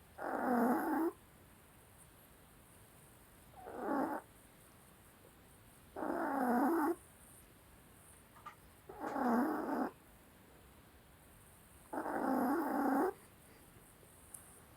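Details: Dog asleep and snoring: five coarse, rasping bursts, roughly one every three seconds, each lasting about a second. Steady silence falls between breaths.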